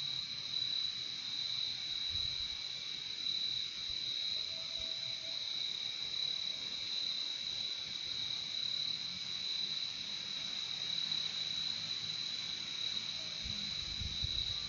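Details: Insect night-style ambience of crickets: a continuous piercing trill at an even loudness throughout, layered over a softer lower buzz, with occasional faint low thuds in the background.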